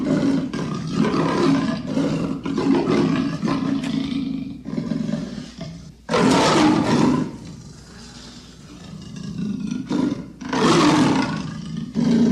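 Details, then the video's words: Leopard roaring in long, rough, engine-like bursts, a sustained grating rumble for several seconds followed by two louder harsh roars after quieter pauses. "The sound of the leopard is like a large displacement engine"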